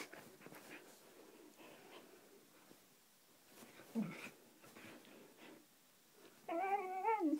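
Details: Siberian Husky at play indoors, giving a faint low whimper midway, then a loud drawn-out harmonic yowl near the end that wavers and bends down in pitch, with quiet scuffling in between.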